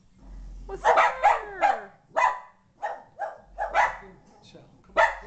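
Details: A Boston Terrier in a living room freaks out at a ball-jointed doll brought in for the first time, giving a run of short, sharp barks, with people talking quietly nearby.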